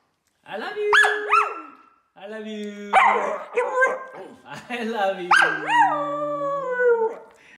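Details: On her third birthday a female Samoyed howls indoors with a person singing along: looping yelping rises into sustained harmonic wails, mixed with a lower human voice.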